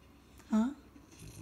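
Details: Male French Bulldog indoors, demanding to be taken on his morning walk: a single short, loud, voiced whine that slides slightly upward, surrounded by quiet room tone.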